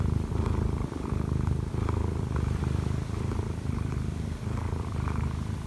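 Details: Kkobugi, a one-year-four-month-old odd-eyed Munchkin cat, kneads on top of its owner to wake her, purring steadily. A deep, rumbling purr runs throughout in a continuous low pulse, with faint rustling above it.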